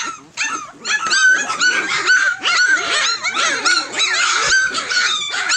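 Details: Young Tosa Inu puppies, fourteen in the litter and approaching three weeks of age, whimpering and squealing at once: a thick tangle of wavering, high-pitched whines, loud and almost unbroken throughout.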